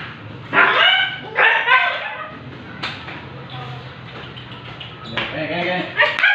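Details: Siberian Husky at a stud for artificial insemination, uttering drawn-out harmonic whining barks in a few bursts, with human voices mixed in.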